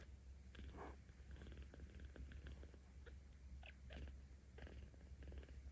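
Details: Purring of a 17-day-old kitten named Aochan in Tama City, Tokyo, 10 October 2022, which grows louder under petting; a low vibrating hum runs throughout, broken by small clicks and rubbing sounds.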